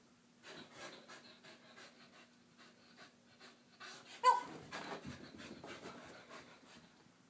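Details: Harley, a female Wheaten Terrier, doing her morning exercises: rapid breathy panting pulses in a steady rhythm, broken by one sharp louder burst near the middle, then faster, rougher breaths.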